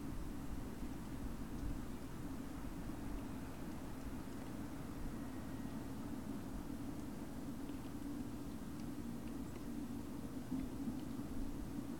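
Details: Steady low traffic or engine drone fills the background, and no animal calls can be picked out.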